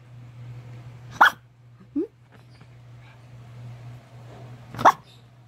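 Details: Maltese-Shih Tzu mixed-breed dog with white fur making two brief, sharp barking yips about three and a half seconds apart, with a small low squeak between them, against a constant low hum.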